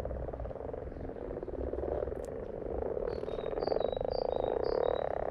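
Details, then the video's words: Frogs croaking in a thick, buzzing pulsed chorus that grows louder toward the end, accompanied by short high-pitched chirping notes repeated in the second half. "In case you needed 2 minutes of Frogs in their happy place"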